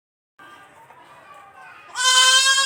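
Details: Young farm goat letting out one sudden, loud, quavering bleat after a quiet, hum-like lead-in.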